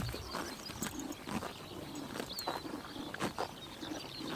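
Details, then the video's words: Summer-morning grazing by horses in Tuv province, Mongolia: soft rhythmic crunches and rips of grass, with a thin high bird chirp and light rural ambience underneath. "Horses eating grass in summer morning / chomping noises"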